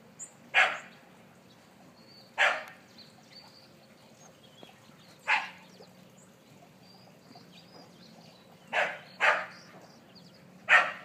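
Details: Keeshond puppy named Bodhi Bear playing with his friend Lily; six sharp, loud barks spaced irregularly across eleven seconds, the last ones coming in a quick pair and then a single bark, over a quiet indoor background.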